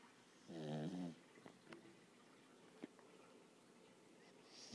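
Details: A six-month-old Lhasa Apso puppy gives a single low, buzzing snore, followed by faint clicks in a quiet room.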